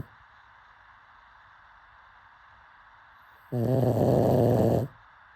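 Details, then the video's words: Sleeping pug gives a single rough, low snore lasting about a second and a half with a buzzy, layered tone, after a few seconds of quiet room hiss. "Pug snoring"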